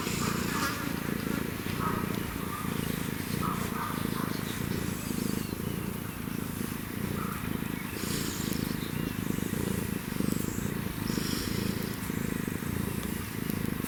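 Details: African wildcat with a kitten purring: a steady low rumbling purr in regular rhythmic pulses, about one cycle per second, over constant background hiss with faint high chirps and scattered clicks.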